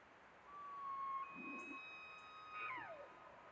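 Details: An elk bugles in Cataloochee Valley, Great Smoky Mountains National Park: a long, high, pure whistle that breaks into a sliding downward squeal.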